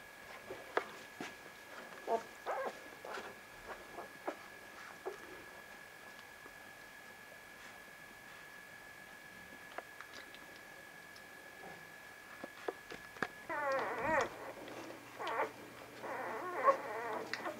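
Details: Young Vizsla puppies of Batai, filmed 10 January 2013, with quiet tapping and handling noises that give way to rich, quavering whimpers in two bursts near the end, over a constant background hum.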